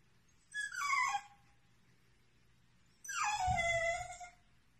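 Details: Whippet named Portia, a dog reacting to what she takes for another puppy, gives two drawn-out whimpering whines about two seconds apart, each starting high and sliding downward with clear overtones, over a low steady background hum.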